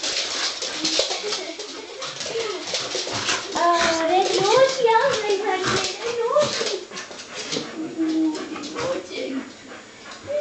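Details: Soft Coated Wheaten Terriers, five of them, give their typical greeting inside: human chatter, then a run of climbing, whistly whines that wobble up and down before fading into talk again.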